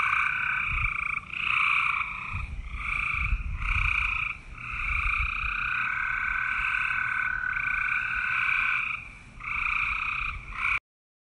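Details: Frog giving loud, buzzy, drawn-out croaks in long pulsed bursts, some running several seconds, with low rumbling noise underneath.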